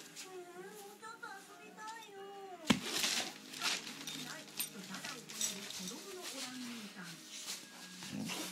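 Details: Basset Hound facing off against a vibrating cushion indoors; a long wavering whine-like howl slides downward, followed by rustling, clatter and softer whimpers, while a woman speaks Japanese.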